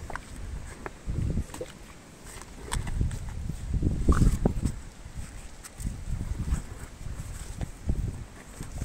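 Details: Meri the elephant chewing sugarcane, heard as deep, irregular crunching and grinding bursts, several per second, with low thuds and faint rustling between bites.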